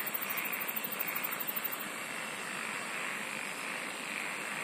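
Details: Insects singing together, opening with a fast, very high pulsed trill lasting nearly two seconds before the chorus settles into a steady shrill hum and even hiss.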